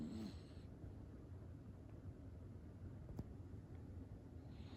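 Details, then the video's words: Cream poodle puppy snoring indoors: a quiet, steady low rumble throughout, with one faint click partway through and no other clear sounds. "강아지 코골이"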